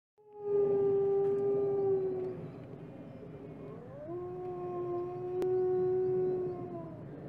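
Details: Wolf howling, one of several packs: two long steady howls, the first level and held for about two seconds, the second starting after a rising slide, with faint overlapping voices beneath and a brief click midway.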